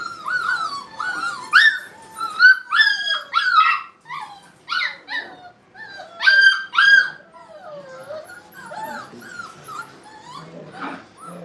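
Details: Brittany puppies at play in a training kennel, a chorus of loud, overlapping high whines and yelps that arch up and fall, in bursts through the first seven seconds before trailing into softer whimpers.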